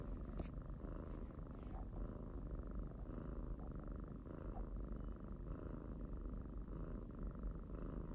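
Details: A family's pet kitty purring up close: an unbroken deep rumbling buzz with gentle swells in strength roughly every second, a faint click or two at the start.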